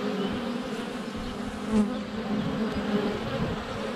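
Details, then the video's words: Continuous hum of many honey bees flying around the hive entrance, filmed from less than a foot away on a sunny February day; steady buzzing drone with a brief louder swell as a bee passes close, possibly landing on the camera. "4K Honey Bees - ambient video and audio"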